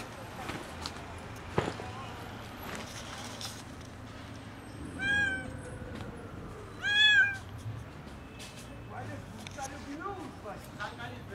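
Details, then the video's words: Skinny kitten meowing loudly from hunger: two loud, arched meows about two seconds apart in the middle, with faint clicks, thumps and outdoor background noise around them. "Skinny kitten meows loudly from hunger"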